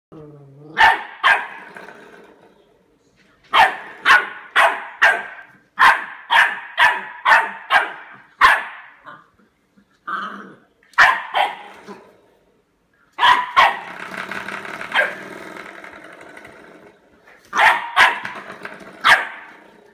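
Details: Eight-week-old Labrador Retriever puppy playing with a door stop, giving rapid high yappy barks in bursts of three to six, pauses between runs, a longer rough yowl near the middle.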